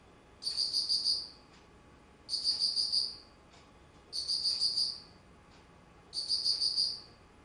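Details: Autumn insect song recorded on 19 September 2009, with four high, trilled bursts of fast pulses, each lasting under a second and spaced about two seconds apart, against faint steady background hiss.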